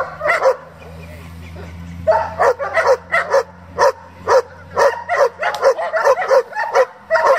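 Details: German Shepherd, a breed kept for breeding and competition, barking rapidly and loudly in a fast irregular series of sharp barks, roughly two per second, over a low steady hum.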